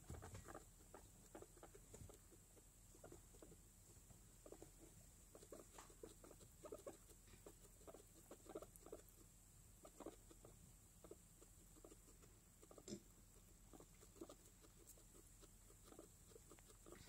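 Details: Guinea pigs, a young mother with four newborn babies, making soft, quick clicking and chuttering sounds, repeated irregularly at low volume.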